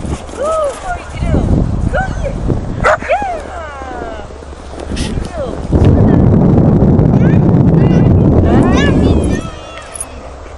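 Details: Spike, a 5.5-month-old English springer spaniel, barking while playing: short, rising-and-falling yelping barks in the first few seconds, over people talking, then a long stretch of steady rushing noise before the barks return faintly.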